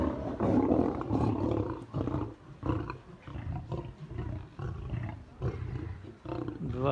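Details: Two white lions in a zoo enclosure in Crimea fighting over treats thrown by visitors: deep, rough growling roars in uneven bursts, with snarls, a man speaking and crowd noise.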